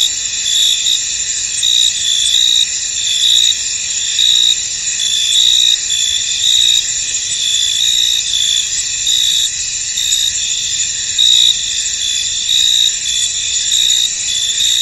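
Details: Steady high trilling of many crickets across a misty field, an unbroken shrill drone with a repeated brighter chirp returning a little under once per second.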